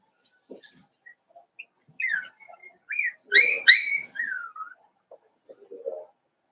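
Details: Five-week-old Cavalier King Charles Spaniel puppies from Daisy's litter in their puppy pen, giving high, whistled whines and squeals that slide downward, with two louder overlapping squeals in the middle and soft scuffling between them.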